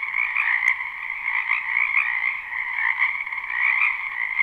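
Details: Many frogs croaking together in a wetland behind a house in spring, a live unlooped recording: dense overlapping trills form a steady band of sound, thick and continuous with gentle swells in loudness, no other sounds standing out.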